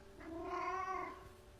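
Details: Orange house cat Reddington, formerly shy and now talkative after recovering from neglect and illness, utters a single soft, drawn-out meow lasting about a second in a quiet room.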